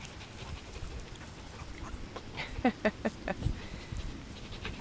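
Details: Five-week-old Miniature Pinscher puppies playing together and eating, giving a quick run of short, squeaky yips in the middle of the stretch over low scuffling and handling noise.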